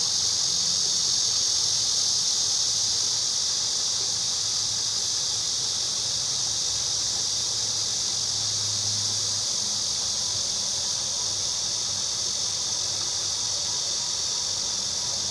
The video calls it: 매미 소리(소리만)